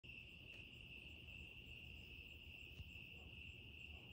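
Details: Crickets singing on a quiet evening in Texas, a steady unbroken high trill held throughout, with low rumbling background noise.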